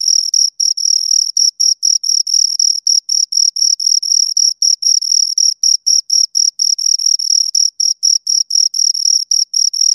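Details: Two crickets chirping: loud, high, pure pulses repeated about four times a second in an even, unbroken rhythm, with a fainter overtone above; no other sounds.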